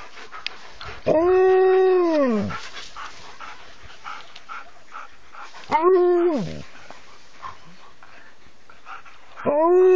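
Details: Alaskan Malamute vocalizing: three drawn-out, richly harmonic howls, each about a second and a half long, rising then sagging in pitch, spaced roughly five seconds apart over a low steady hiss.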